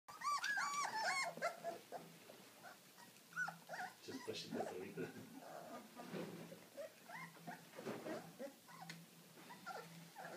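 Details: Deutsch Drahthaar dog giving high, arched whines and yelps in quick bursts, loudest in the first seconds, then scattered shorter whimpers, with a low steady hum and some human voices underneath.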